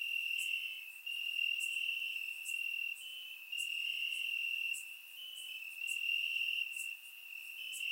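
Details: Crickets chirping in grass on a warm summer night in Bulgaria, captured with a surround microphone; a steady high trill runs throughout, overlaid by brief sharper chirps roughly every second, with several insects calling together.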